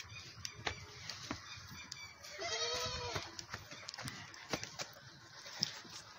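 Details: Goat on a farm where a mother suckles her big male kid: a clear, quavering, harmonic bleat of about one second midway, with clicks, rustling and men's voices around it.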